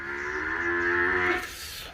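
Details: Nili-Ravi buffalo from a semen production unit in Multan, Pakistan, giving a drawn-out moo lasting about 1.3 seconds, steady and droning with a slight rise near the end; faint room background.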